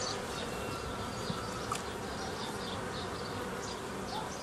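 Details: Continuous hum of many honey bees during old-style formation of nucleus colonies from a forager swarm on 15 May 2018; an even, broad buzzing wash throughout with a couple of faint taps.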